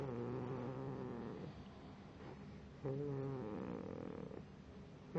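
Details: Moose the pit bull puppy snores in sleep, with low, buzzy, humming breaths of one to one and a half seconds, separated by a softer quiet stretch.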